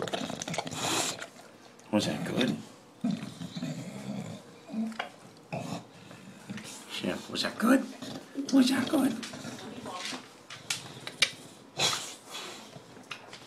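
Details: Male English Bulldog wolfing down his dinner indoors: loud snorting, grunting and slurping bursts come in irregular clusters, some with low throaty tones, separated by brief quieter gaps.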